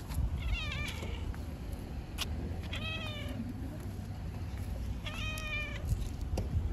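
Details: Tabby cat meowing in the street, a female seeking attention and wanting to be stroked; three clear harmonic meows, rising then falling, about two seconds apart, over steady low traffic rumble and a few clicks.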